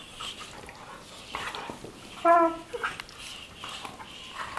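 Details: Two Weimaraner sisters, Jila and Faith from Cyprus, play-fighting on their bed in the morning; one short, tonal, harmonic whine-growl bursts out mid-clip amid soft rustling of bedding.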